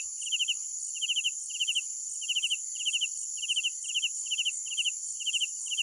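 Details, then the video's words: Crickets at night give clipped chirps of three to four quick pulses, bursts following roughly every half second against a continuous shrill insect drone. "Sounds of Night Crickets"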